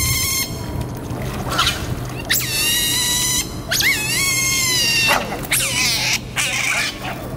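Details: Smooth-coated otter family at Pasir Ris Park on 3 April 2020, out feeding at dinnertime before retreating to their holt; high, harmonic squealing chirps come in several wavering bursts, some sliding up and down, over a steady low background hum.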